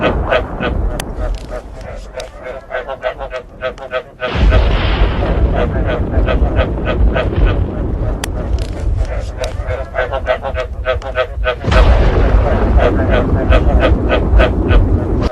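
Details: Frogs and thunder played together to bring frogs into breeding: steady rattling croaks repeat throughout, partly buried under strong booming thunder rolls that surge twice and stay loud.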